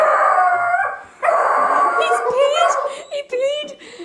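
A Weimaraner puppy gives drawn-out, wavering whines and yowls in fright, with a human voice mixed in.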